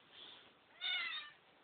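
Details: Pet cat recovering after surgery, walking indoors, gives one drawn-out, harmonic meow lasting about half a second, then a sharp knock at the end.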